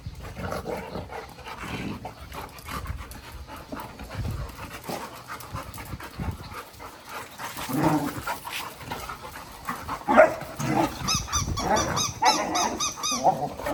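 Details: Large male golden retriever, a family dog, during rough play; rapid breathy panting runs throughout, with a few short high whines and rustling toward the end.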